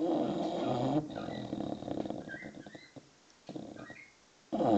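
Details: English bulldog puppy, six months old, snoring in its sleep with a coarse, growly rattle that fades out, while birds chirp with short whistled notes and another snoring breath begins at the end.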